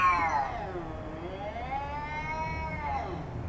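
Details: Jasper, a fat domestic cat, confronting a neighbourhood cat: one long drawn-out wavering yowl, rising then falling and rising again over about three seconds, with low traffic-like rumble beneath.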